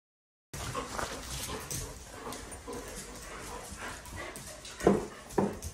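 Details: Dog at a dog park, letting out two short, loud barks close together near the end after a stretch of quieter shuffling and low background noise.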